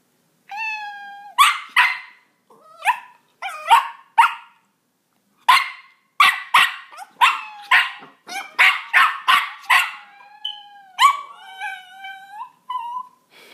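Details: Roxy the Miniature Pinscher barks in response to a cat soundboard. After a few meows, she answers with a rapid burst of a dozen or so sharp barks, which are followed by further meowing tones.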